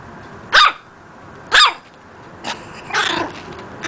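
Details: Young pet dog practising its bark: two crisp, high-pitched barks about a second apart, followed by softer, breathier yaps.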